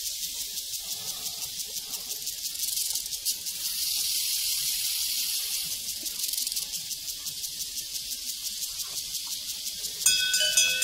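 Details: A prairie cricket chorus of fast, high-pitched chirps rises and falls in intensity. A bright cowbell clangs in sharply during the final second.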